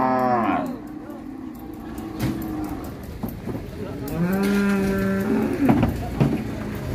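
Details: Agitated sacrificial cattle being unloaded from a truck at Siyono Harjo market: a clear, sustained deep moo of over a second near the end, preceded by a short shout, with crowd murmur and clattering behind.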